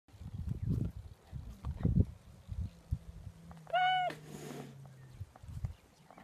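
A cheetah gives a single short, high, clear meow over low rumbling background noise.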